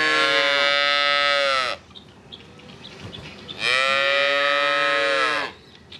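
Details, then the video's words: Two long, loud moos from cattle, each lasting nearly two seconds, with a slight rise then steady, harmonic-rich tone, and a quiet gap of low background noise between them. "Cows Moo"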